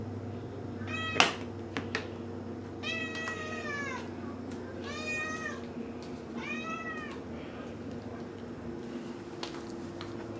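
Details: Whiny meowing from a 3-year-old male mackerel tabby house cat as wet food is brought out: four bright, arching meows in quick succession, with a few sharp clicks and knocks in a quiet room.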